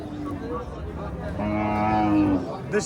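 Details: At a Bangladeshi cattle market, a Friesian cow gives one sustained, steady moo lasting about a second, set against a murmur of voices and background crowd noise.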